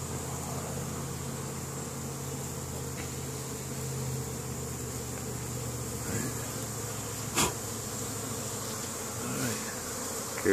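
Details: Worker honey bees bringing pollen back to the colony during spring foraging, Caribou, Nova Scotia, Canada, May 10, 2015; a continuous low drone hum with a steady tone, broken by a few sharp clicks and knocks.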